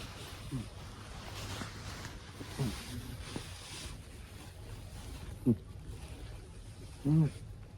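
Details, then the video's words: Senior Abyssinian cat snoring: low, rough snorting breaths with a buzzy tonal edge, a few seconds apart and growing louder toward the end, over a steady low hum. "猫の いびき。。"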